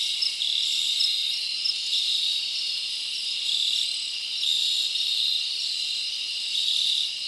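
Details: Crickets in a forest on a summer night, chirping as a thick high-pitched trill with short brighter chirp bursts recurring every second or so over the steady chorus.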